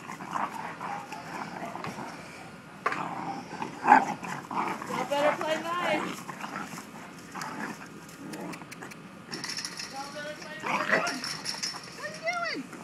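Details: Corgi puppies play fighting indoors: scattered rough growls and short whiny yelps, the loudest near the middle and end, with people talking and laughing throughout.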